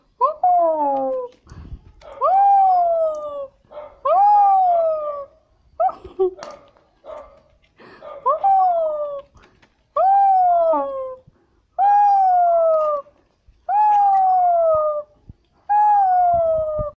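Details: Toy Pomeranians playing inside a cage in Kathmandu, Nepal: a series of nine drawn-out, howl-like whines, each lifting briefly then gliding down, repeated about every two seconds in a small indoor room.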